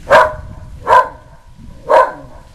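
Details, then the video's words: Whippet bitch in South Florida barking in a frenzy at the passing Goodyear blimp: three abrupt, harsh barks roughly a second apart, other dogs present nearby. "our whippet barking at the Good Year blimp"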